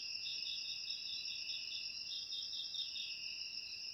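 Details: Unbroken high-pitched trilling from many crickets, with gently wavering pulses and no other sounds. The recording is meant for driving rats out of houses.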